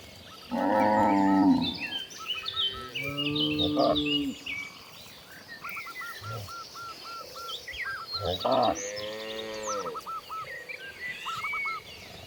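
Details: Cows roaming freely across natural fields moo several times: a long, loud, low call, then shorter, softer moos midway and another near the end. Rapid bird chirps and twitters sound throughout.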